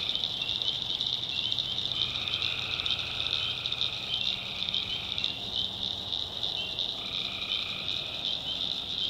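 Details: Tree frogs calling at night in the swamp backwoods of North Carolina: a dense, steady high trilling chorus with overlapping lower droning calls that come in one- to two-second stretches.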